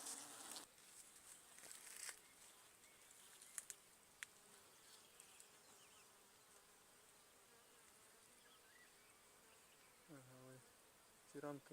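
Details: Western honey bees of a small, weak wild swarm hanging in a tree in wild countryside, recorded in 2020, buzz with a low droning hum while foundation frames are set out, amid rustling and clicks.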